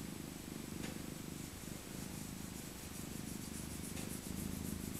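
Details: Old rescued tabby cat, a female born in 2000, purrs contentedly during a cuddle, her winter coat thick and soft. Deep, even rumble with rapid regular pulsation runs unbroken, with light rustling and faint clicks.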